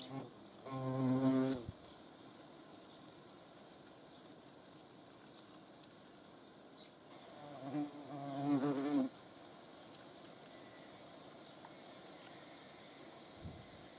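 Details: Hornet in flight filmed up close: two low, droning wingbeat buzzes, each about a second long, rise and fade as the insect passes, separated by several seconds of quiet background hiss.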